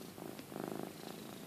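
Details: Cat being groomed by another cat, purring hard; a steady low throbbing rumble with fine rapid pulses fills the short stretch, close and indoors.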